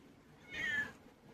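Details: Indoor pet cat uttering a brief, soft, high-pitched meow that dips slightly in pitch, faint against low room hum.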